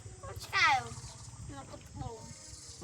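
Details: Abandoned domestic cat giving one short, loud, high meow that falls in pitch, lasting under half a second, with people talking quietly before and after.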